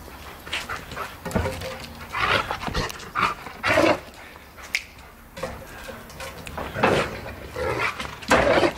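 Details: An angry, furious pet Rottweiler barks in loud, rough bursts, several times over a few seconds.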